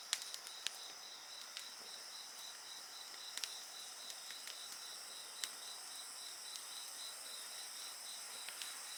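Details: Bonfire and insect voices together: a sustained high, pulsing insect trill underlies frequent sharp wood crackles and pops scattered irregularly through the clip.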